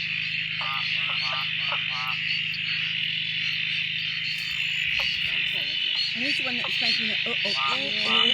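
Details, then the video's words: Frog chorus at a dam near Drake following days of steady rain that woke the previously silent frogs; a constant shrill high-pitched hum, with a few brief repeated calls early on and a busier tangle of lower notes and voices toward the end. "Frog chorus after the rain"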